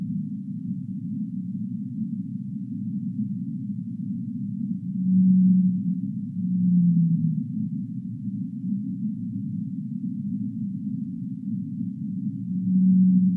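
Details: Singing humpback whale in a sleep-sound recording: a continuous deep murmuring bed with three long, low moans, the middle one dipping in pitch, spaced several seconds apart and swelling gently in loudness.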